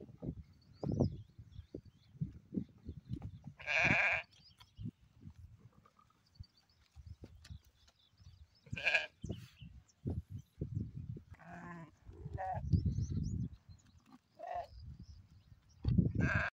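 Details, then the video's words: Black sheep bleating in a few short, harmonic, nasal calls spaced several seconds apart, with low thumping and rustling sounds of movement filling the gaps between them. "Black Sheep Sound Effect"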